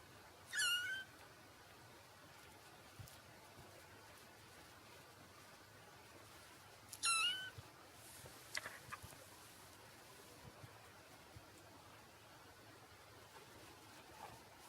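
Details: A black and white male Exotic Shorthair kitten, four weeks old, gives two brief, thin, high meows several seconds apart. Each meow falls slightly in pitch. Faint handling noises and near silence fill the rest.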